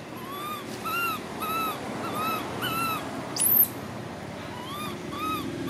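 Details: Baby monkey crying in regular arched whines almost twice a second, with one sudden shrill scream midway, against a soft constant background rumble.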